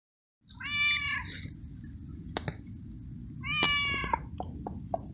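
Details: Wet stray cat meowing in the rain while being fed treats and kibble, meowing a lot perhaps from the cold: two harmonic meows about three seconds apart, with clicks, rustling and a steady rain hiss.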